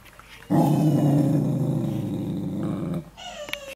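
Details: Young Corgi showing resource aggression before training: a loud, steady, low rumbling growl holds for about two and a half seconds, then stops sharply and gives way to a brief, thin, higher-pitched tone.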